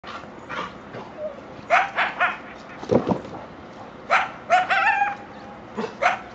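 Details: Coyotes from a family living along railroad tracks behind a backyard fence in Chatsworth, California, around 7am on 13 October 2024: a loud run of sharp, harmonic yips and short barks in irregular bursts, some clustered in quick pairs.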